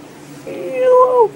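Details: Zoe, a pet Toy Poodle just awake from sleep, lets out a short tonal whine of under a second, steady then wavering slightly upward before dropping away, ending with a faint click in a quiet room.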